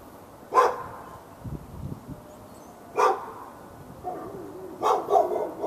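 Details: Fenced dog in Raleigh, North Carolina, part of day-long barking at nearby dogs on February 15, 2012; four sharp barks about two seconds apart, the last doubled, with a softer growly bark between and quiet outdoor background.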